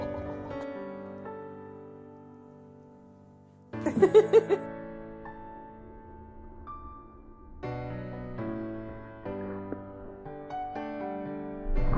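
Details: Gentle, slow piano and keyboard music with sustained chords, a brief louder flourish near the four-second mark and a faint voice underneath.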